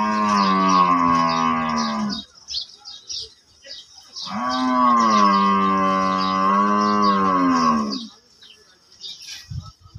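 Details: Cow at a Bangladeshi cattle market ahead of Qurbani, giving two long, low, steady moos. The first lasts about two seconds and the second about four, with a quiet gap holding faint background noise.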